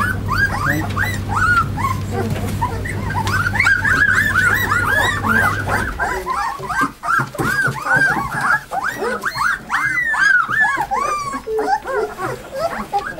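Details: Two-week-old puppies from a March litter, on 8 April, lively after deworming and weighing: a dense chorus of rising-and-falling squeaky whimpers and yelps overlapping continuously, with a steady low machine hum through the first six seconds.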